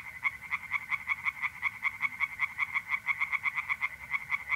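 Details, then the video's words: Mid-April night song of tree frogs in a pond in North-East Italy. There is a loud, even rattle of quick croaking pulses, about three each second, over a faint constant mole cricket trill. "singing tree frogs in pond"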